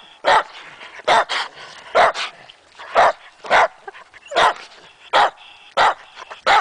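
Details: Two dogs, Matea and Morley, bark excitedly at a tree along a trail where chipmunks are thought to be hiding; loud sharp barks come in a steady series, about nine in under seven seconds.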